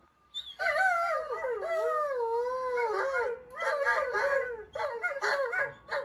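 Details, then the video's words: Pet Siberian Husky, said never to howl, howling at talking-dog videos on a screen: long wavering tones that swoop down and up, then shorter broken howls in the second half. "Husky Howls to the Talking Dogs on YouTube"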